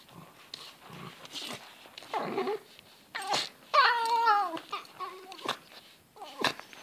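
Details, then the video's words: Fox calling during zoomies: a few short rough noises, then a loud wavering whine around 3.8 seconds with stacked falling tones, followed by softer squeaky whimpers and scuffling sounds. "Funny fox sounds and zoomies"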